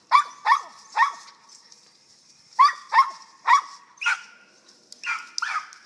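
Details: Squirrel dogs from a western Kentucky kennel barking up a tree while the handler calls them by name; loud barks repeat in groups of three, followed by a few looser barks at the close.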